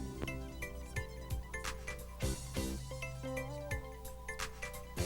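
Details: Only music plays, with bright mallet-like tones and steady percussive beats; no animal voices.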